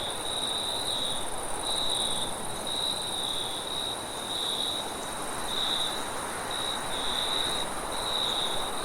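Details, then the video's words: A night cricket chirps in bursts of high pulsed trilling separated by brief gaps, with a faint higher overtone and a steady wind rush and low rumble underneath. "cricket & wind sound at night"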